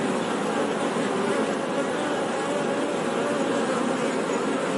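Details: Continuous buzzing of honey bees, a full, even hum of overlapping wingbeats without pauses, level and unchanging across the stretch, with no other sounds.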